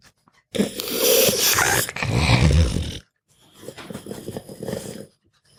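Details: Sleeping pug dog grunting and puffing: one long rasping, snorting breath with a wheezy rumble, a pause, then a softer, quicker series of snuffling grunts.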